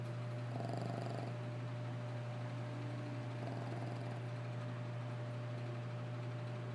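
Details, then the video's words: Snores from a sleeping dog, a gritty breath near the start and another around midway, quiet and regular, set against an unbroken low hum in a small room. "Lacey Snores"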